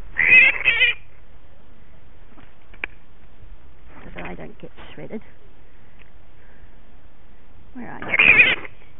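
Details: A cranky bat rescued from suburban backyard rose bushes after a loud altercation with a dog, giving two harsh, noisy screeching bursts at the start and end, with soft rustling and handling noise between.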